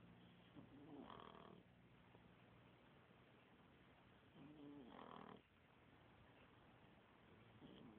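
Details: Two sleeping dogs snoring indoors: slow rasping breaths, each louder snore lasting about half a second and recurring every few seconds, with quieter breathing between.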